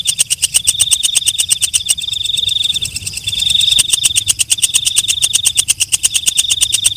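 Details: Walang kecek, a night katydid, calling: a fast train of sharp, high clicks, about three a second, with a steady high buzzing whine running through most of it, briefly fading mid-clip, over a faint low rumble.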